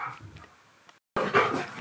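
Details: Siberian Husky named Key, indoors in a small room, demanding lunch: quiet whimpering murmurs, a brief silence, then a loud, harmonic, howl-like bark-talk burst. A person coaxes him to say lunch.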